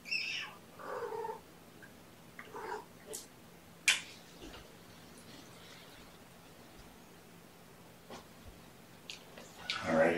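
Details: Kittens of mama Gamora's five-kitten litter, born April 14th, at breakfast indoors: a few short, thin, high mews scattered between quiet stretches, with rustling and small clicks.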